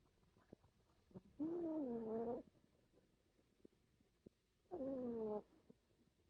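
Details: A Chihuahua snoring while asleep: two drawn-out, nasal, tonal snores, each about a second long, roughly three seconds apart, with faint clicks and quiet breathing in between.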